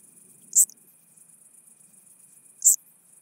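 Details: Chabrier's marbled bush-cricket in Arzo, Switzerland, 4 August 2023, picked up with a Pettersson D 100 ultrasound detector: two short, sharp, very high chirps about two seconds apart over a steady faint high-pitched hiss.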